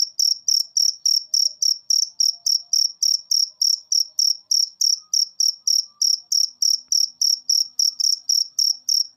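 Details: Cricket calling steadily in a recording played to encourage lazy pet birds to sing, a long unbroken series of high bright chirps at about three per second over near silence.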